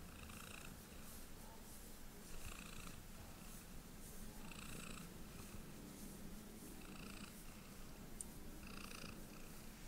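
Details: Domestic cat purring steadily while getting a belly rub indoors; continuous low rumbling purr throughout, with soft rhythmic higher brushing or rubbing sounds pulsing roughly every two seconds.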